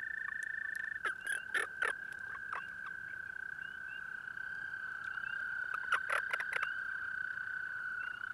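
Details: Breeding-season toad at a nighttime pond gives a continuous, level trill while sharp knocks and rustling bursts cut in near the start and again toward the end.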